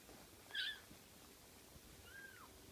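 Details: Six-week-old Ocicat kittens: a short, high-pitched squeaky mew, then a second thinner mew about 1.5 seconds later that rises and falls, in a quiet indoor room.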